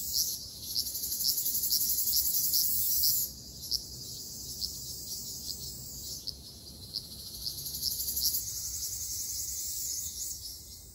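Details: Ryukyu large brown cicadas in a summer forest in Okinawa give a steady, sizzling high buzz with faint pulsing that briefly dips before swelling again.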